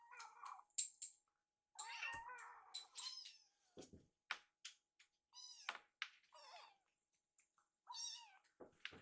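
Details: Foster kittens Yuki and Piyo-chan, rescued cats, pester for dinner while warmed wet food is readied in the kitchen; overlapping squeaky meows come in quick bursts, mixed with thumps and clinking from food preparation.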